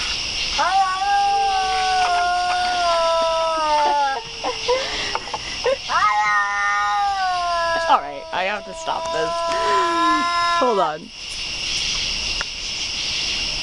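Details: Cat giving drawn-out, moaning yowls that hold steady then bend at the ends, two main wailing stretches separated by brief pauses, with constant high-pitched background hiss.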